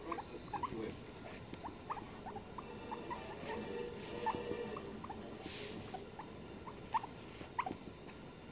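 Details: Pair of domestic guinea pigs sitting on a settee during the early hours of 9 November 2021, giving a run of brief, evenly spaced squeaks about twice a second against a faint household hum.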